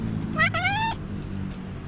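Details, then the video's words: Tuxie, a hungry, talkative female tuxedo cat greeting her owner, gives one clear rising-then-level meow of about half a second, high and tonal, over low background hum. "Cute tuxedo cat, who was very hungry, was very happy when she saw me"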